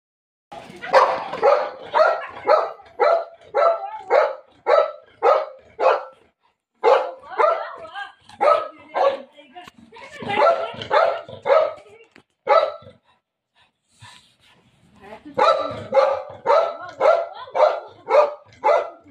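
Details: Milo, a family dog, welcomes mummy home with an excited run of sharp, loud barks, fired in quick bursts roughly twice a second, with short pauses between volleys.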